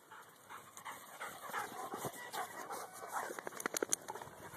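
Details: Dogs out running with excited whimpers and panting in quick irregular bursts, ending in sharper clicks and scuffles close by; a person's voice nearby.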